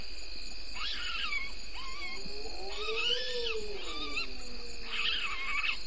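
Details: Galago (bushbaby) at a waterhole, Gowrie dam, Djuma Game Reserve in the Sabi Sand Wildtuin, South Africa, before dawn at 03:33 on 02/09/19: bursts of rough, harmonic squawking calls every second or so, with a long rising-then-falling low note near the middle.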